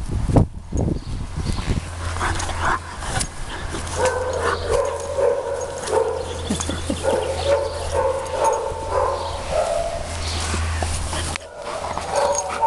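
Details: Nero, a lurcher dog needing a home at RSPCA Macclesfield, gives a few sharp barks at the start, then long drawn-out whining tones that waver up and down, over a steady low electrical hum.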